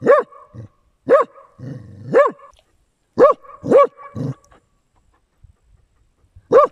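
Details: Dachshund swimming on a hot day, giving loud, sharp barks in irregular bursts, about six in under seven seconds, with short low grunting whines between some of them, then quiet.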